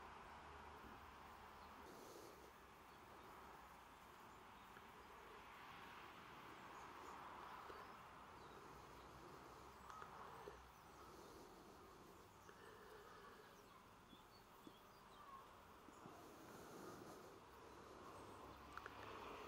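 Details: Bees recorded on 28 September 2023: a steady, dense hum of many wings centred in the low-middle range, swelling and easing slightly over the clip, with faint scattered ticks and a soft background rumble.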